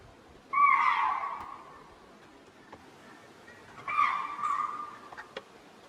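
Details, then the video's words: Vigilant spotted deer (chital) in Tadoba Andhari Tiger Reserve repeatedly alarm-calling to alert their group and nearby ungulates, a tiger later seen in the bushes; two loud, shrill, slightly falling barks about three seconds apart. "These frequent calls of spotted deers alarm the adjoining groups of ungulates around."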